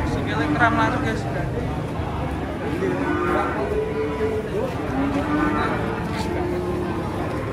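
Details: Cattle being loaded onto a truck in Indonesia, giving short low mooing calls amid people talking and the rumble of a vehicle and handling noise.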